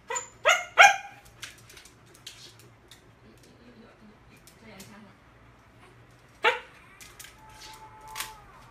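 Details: Golden Retriever left alone at home: three sharp, high yelping barks come in quick succession at the start, then a quiet stretch, another single yelp, and a faint whine, with soft speech and a low hum behind.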